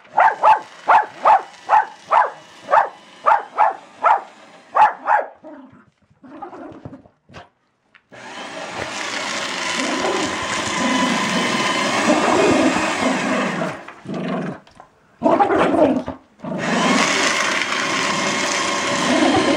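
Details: Female Jack Russell Terrier barking at a paper shredder indoors: about eleven sharp barks at a steady pace over five seconds, then a few scattered barks, followed by loud grinding of the shredder that drowns out most other sound.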